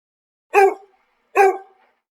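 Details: Dog barking: two short, sharp harmonic barks about 0.8 seconds apart, each fading quickly, with a silent background.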